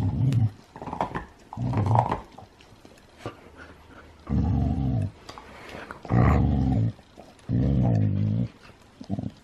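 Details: Huskies wrestling in play, not really fighting: deep, harmonic growls in long rumbling bursts of about a second each, repeated several times with short gaps, mixed with scuffling and a few quieter whines and bumps.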